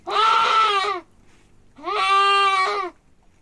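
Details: A billy goat cries out twice while being castrated. The long, strained bleats are harmonically rich and hold a steady pitch before trailing off.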